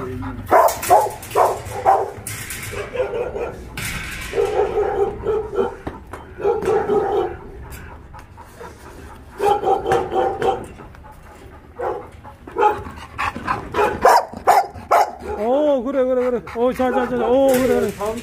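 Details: Shelter dogs at Ulsan Narael Center, formerly Mindeulle Shelter, Korea, during a volunteer visit: bursts of sharp, overlapping barks in quick runs, then wavering, whiny yelps near the end, with people talking throughout.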